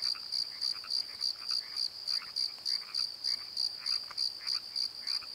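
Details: Crickets singing at night from a valley bottom by the Pozo Night Tree, Nikon D7100 recording: evenly spaced high chirps, roughly three and a half per second, mixed with busy lower frog croaks.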